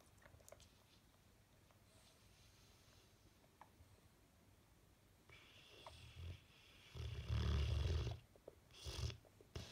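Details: Sleeping Bullmastiff with a twitching face, snoring: near silence at first, then from about six seconds deep rumbling snores swell, loudest near seven to eight seconds, with a last shorter snort near nine seconds.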